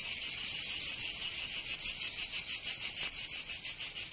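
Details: Cicadas in summer in Provence, southern France: a shrill, pulsing buzz that grows more distinctly throbbing midway, about five or six beats a second, with one brief click.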